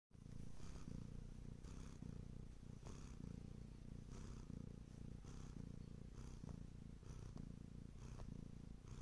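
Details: Bengal cat purring: a deep, rumbling, continuous purr that swells and eases with each breath, cycling roughly every second, close and quiet indoors.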